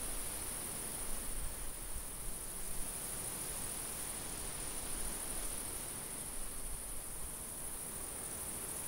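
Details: Unbroken high cricket trilling fills a summer field, steady in pitch and loudness, accompanied by a light, breathy wind rumble low down.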